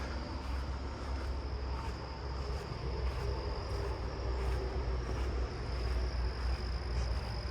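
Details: A southeastern field cricket in a backyard neighbourhood on a July night gives a steady, high, buzzing trill over a deep continuous rumble; in person it sounded like a loud buzz rather than the recorded hum.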